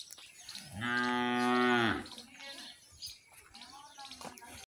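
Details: Khillar cattle: one loud, steady, low moo lasting about a second, rich in even overtones, then quiet rural background with faint soft sounds.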